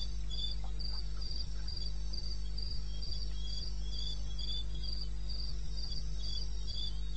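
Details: At 02:30 AM on 21 May 2016 in eastern Botswana wilderness, crickets keep up rapid high-pitched chirps, roughly three per second, answered by a slightly lower second voice, with a continuous deep background hum.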